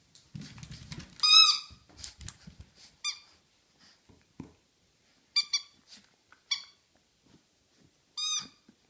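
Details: Roughly four-month-old French Bulldog puppy at play inside a house, giving brief high-pitched squeaks and whines, each arching up then down, scattered among clicks, scuffs and low knocking sounds.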